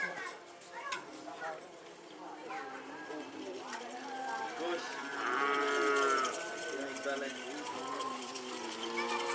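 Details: Cattle at a karapan sapi bull race training session at the Asemanis field in Pamekasan, Madura, East Java, Indonesia; a drawn-out, harmonic moo swells midway, rising over steady crowd chatter and nearby voices.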